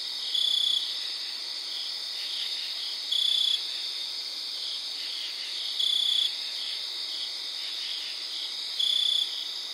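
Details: Cricket singing outdoors at night, around 3am on September 4th, with distant crickets and katydids: a clear high pulsed trill of about half a second repeats every two to three seconds over a steady high-pitched insect chorus.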